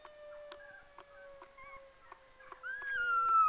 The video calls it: howling Aussie puppy